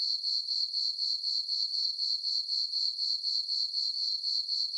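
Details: Crickets chirping on a peaceful summer night in a farm meadow under a full moon: a steady, high-pitched ringing chorus that pulses about four times a second, with no other sounds.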